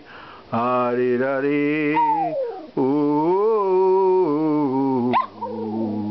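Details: A 12-year-old Maltese terrier named Sachi, at home in Melbourne, Australia, joins in with his favourite songs, the Star Spangled Banner and Danny Boy; thin yelping howls slide downward over a man's sustained singing, ending with a sharp high yip.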